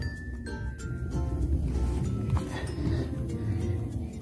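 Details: Music plays over a low rumble with faint clinking, and no animal voice is heard.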